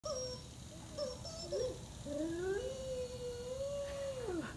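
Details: A Weimaraner in Mexico, on its third birthday (10 August), sings along with a new toy chook, howling in wavering tones and ending in one long note that rises, holds, then drops.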